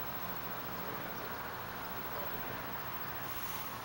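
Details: A steady broadband rumble, like a passing vehicle or wind, with a faint low hum runs throughout, and no animal voice can be picked out.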